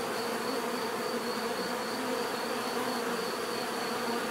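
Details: A steady swarm-like hum of bees, dense and unbroken, with low droning bands and a thin high tone overhead.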